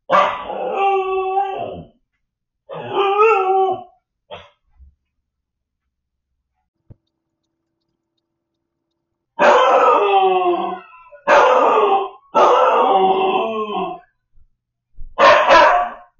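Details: Siberian Husky puppy left home alone, yelling loudly while watched on camera: repeated wavering howls with stacked harmonics, two near the start, then four close together after a pause.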